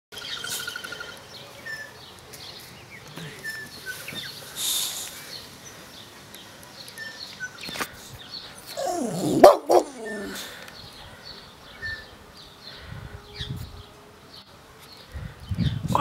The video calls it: Boxer Dog Bark